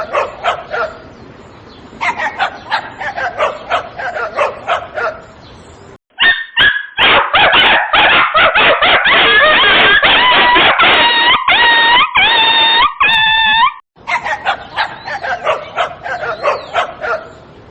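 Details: Little dog yapping in rapid repeated barks, broken midway by a louder stretch of sustained, tonal wavering yelps or whines with strong harmonics, then more quick yips at the end.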